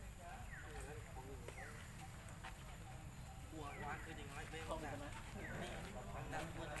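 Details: Baby monkey Lucie crying loudly after her mother refused milk, with repeated wavering, arched harmonic wails in quick succession, some brief higher squeaky sweeps, over steady low rumbling background noise.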